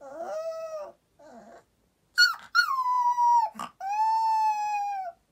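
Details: A Boxer puppy at nap time, as a clock strikes five, sings in drawn-out, tuneful howls that slide gently downward.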